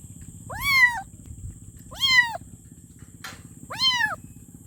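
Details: Kitten meowing for its mother: three loud arched meows about a second and a half apart, with a short noisy click between the last two, over low hum and a steady high whine.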